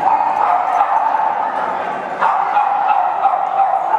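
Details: Many Boston Terriers gathered at a Chicago meetup group, a constant chorus of shrill overlapping yips and barks with no pauses, one louder bark rising above the rest midway.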